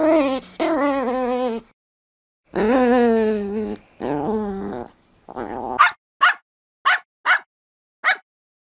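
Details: Dog making drawn-out, harmonic growling whines in three long stretches, then breaking into five short sharp barks spaced about half a second apart.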